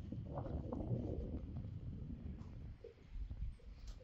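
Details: A male Friesian horse makes funny low, rumbling, grunting sounds with short breathy bursts, something he does together with another horse.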